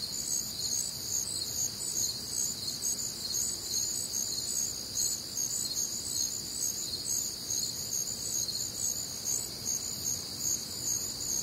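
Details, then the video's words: Warm, humid summer night in the American Midwest with crickets and other nocturnal insects: steady, piercing multi-layered chirping that pulses evenly throughout, no birds or voices. "Night Time Cricket Sounds"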